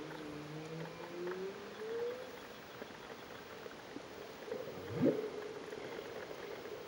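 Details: Humpback whales sing 20 metres underwater off Réunion on 15 September 2009: long, smooth rising moans, then a brief sweeping cry.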